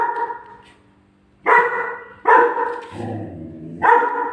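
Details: Indoors, a German Shepherd puppy barks in anger at its own photo stuck on the fridge, giving three sharp, loud barks within a few seconds over a constant low electrical hum.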